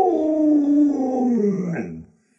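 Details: Household Alaskan Malamute Lolo, playing with the little child of the family, produces a loud drawn-out howling moan gliding gradually lower in pitch, ending with a short upward yelp-like flick before falling silent.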